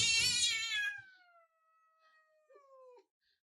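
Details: A grumpy house cat gives a loud, harsh yowl that trails into a long, steady, moaning tone. After a brief silence, it ends with a short, lower, complaining wail in a quiet indoor room.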